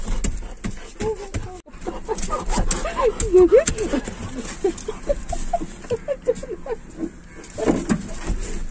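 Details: Labrador Retriever named Goofy eagerly waiting outside an office on his first trip to pick up his owner: short, high, squeaky whines that rise and fall in quick repeated bursts, over street background noise and nearby voices.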